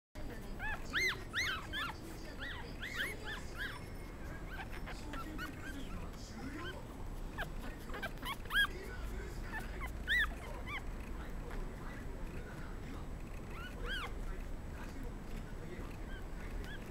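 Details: Black and black-and-tan Pomeranian puppies born November 17, at a puppy shop, give thin, high whimpers and squeaks in short bursts over a steady low rumble.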